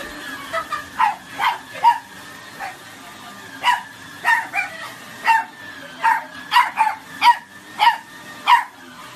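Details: A corgi, scared by his owner, runs away barking and scolding in sharp, high-pitched barks in uneven bursts, some doubled, roughly once a second.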